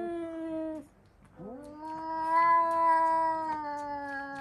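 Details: Domestic cats indoors screaming after spotting a cat outside; a long, steady, harmonic-rich wail breaks off, then a second drawn-out howl rises and holds at a level pitch before sagging slightly at the end.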